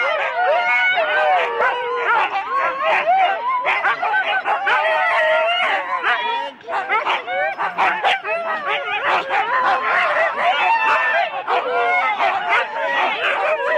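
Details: Sled Huskies in 4-dog teams at a January 2016 race start in Rendlesham give a loud, unbroken chorus of yaps and wavering yelps. A brief dip comes midway before the din resumes.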